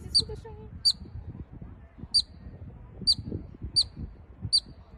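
A marmot gives sharp, high whistled chirps, repeated roughly once a second.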